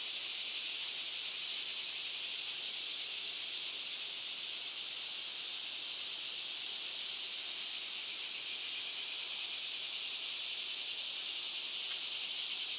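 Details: Loud cicada song, a male singing: an unbroken, very high, sizzling drone with a thin piercing whistle running through it, steady in volume from start to finish.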